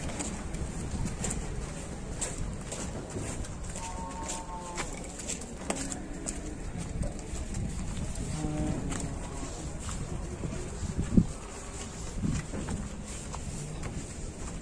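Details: Qurban cattle in Indonesia, 2022, being loaded onto a truck, give a couple of drawn-out, harmonic moos amid steady rumbling noise, knocks and clatter from the loading.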